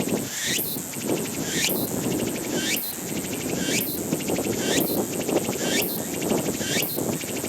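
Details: Meimuna opalifera cicada singing: buzzy, pulsed phrases, each ending in a rising high sweep, repeated about once a second in a steady run, over a constant low rumble of wind or distant traffic.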